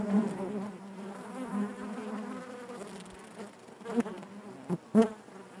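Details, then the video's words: Honey bees buzz inside their hive in a steady, droning hum, with sharp close passes of single bees near four and five seconds standing out over the constant background. "bees therapy hive natural buzzing sound"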